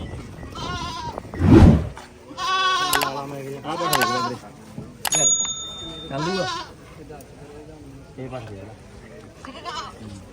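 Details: Goats at a goat market in Mullanpur during a sale, several loud quavering bleats, harmonic and nasal, spaced through the clip among men talking and a sharp metallic clink.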